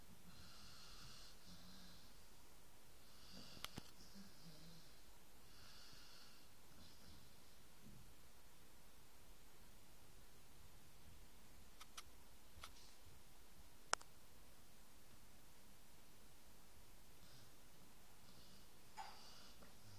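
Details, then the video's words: Snoring by a dog: several wheezy, snorting breaths early on, then quieter breathing broken by a few faint sharp clicks, before a soft snore near the end. "Snoring dog"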